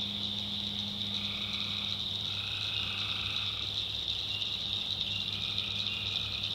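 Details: Night chorus of wild tree frogs in North Carolina swamp backwoods. A constant high-pitched ringing trill runs throughout, and mid-pitched groups of calls drift in and out over a steady low droning hum.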